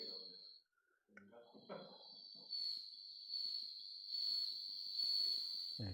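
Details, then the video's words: Bell cricket (방울벌레) song played back, said to be heard a lot at night at this time of year and made with the wings; a steady high ringing trill runs through most of the clip, with a man talking over the start. "네, 얘는 방울벌레 소리라고 해요. 자,"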